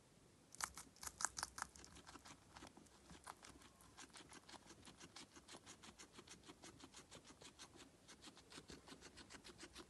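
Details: A feeding guinea pig chews in a small indoor space. A few loud crunches open the clip, then a long even train of quick, dry, clicking bites continues to the end.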